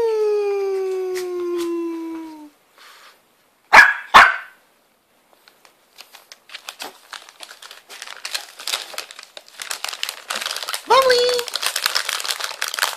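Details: Bubbly, a Shih Tzu puppy, wanting Pedigree Dentastix treats indoors: a long falling whine for about two seconds, then two sharp barks, followed by crinkling packet sounds and clicks.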